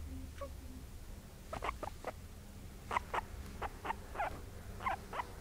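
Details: Two pet guinea pigs, a white mother and her brown daughter, kept at home, giving short sharp squeaking calls in irregular bursts, roughly a few per second, over low background hum.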